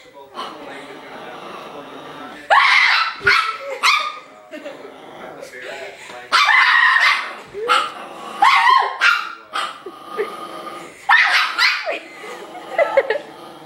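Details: Chihuahua puppy barking furiously and playfully at a person: clusters of shrill yaps and bursts of barking spread over the stretch, with human speech in between and quiet pauses.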